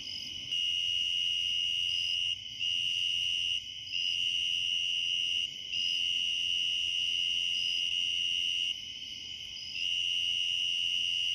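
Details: Tree cricket singing at night in late summer in eastern Pennsylvania, recorded up close with a Sony RX100VII; a loud, constant high trill running in long stretches with a few brief pauses between bursts.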